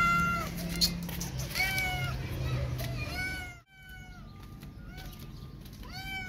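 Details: Disabled street cat Hope, mother of two rescued newborn kittens, feeding them: a series of about five harmonic meows, some falling, some level, spaced roughly a second apart, with a brief quiet gap midway and low background hum.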